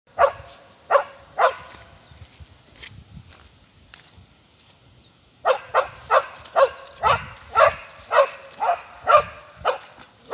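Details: Welsh and working sheepdogs (Border Collies) reacting outdoors to a ball about to be thrown into water; three sharp barks, a pause, then a rapid excited run of loud barks roughly every half second.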